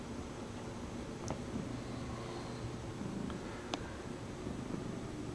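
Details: Bombay cat Lucy purring at home while holding and kneading her stuffed horse toy by its nose. A soft, continuous low rumble runs throughout over a quiet indoor hum, broken by a few light taps and clicks.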